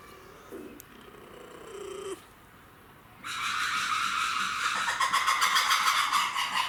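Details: Captive red ruffed lemur, Saitama Children's Zoo, Japan, 3 February 2018. After a quiet start with a soft low murmur, a loud harsh chorus bursts in and keeps going, with rhythmic throbbing pulses that grow stronger toward the end.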